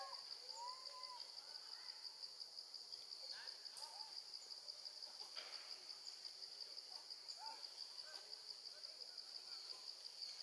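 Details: Baby female monkey left alone with her gentle grandma, calling for her mother: clear tonal arched cries, rising then falling, given several times amid a steady high insect-like drone and faint clicks.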